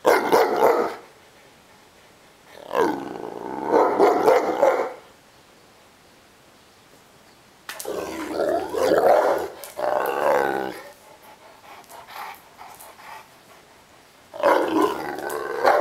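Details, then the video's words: Ovelix, a Neapolitan Mastiff, gets mad while complaining and wanting to play: four bursts of heavy, rasping barks and growls, some stretching over two to three seconds, separated by pauses with faint background rustle. "Mastino Napoletano Ovelix gets mad!"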